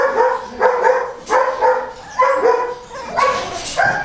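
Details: Goldendoodle puppies, a cross between Golden Retriever and Standard Poodle, giving whiny, tonal yelps and whimpers in short bursts about every half second, with a slight rise at each onset and soft background noise between calls.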